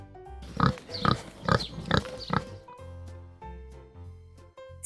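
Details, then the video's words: A domestic pig gives five short, rough grunts in quick succession, followed by light background music. "Este es el sonido que hace un cerdo."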